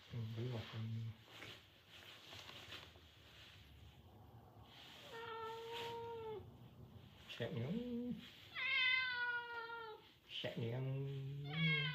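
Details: Pet cat attacking its owner in a small room, letting out several drawn-out harmonic meows, some wavering and others bending downward, mixed with low human voices speaking Vietnamese between the calls.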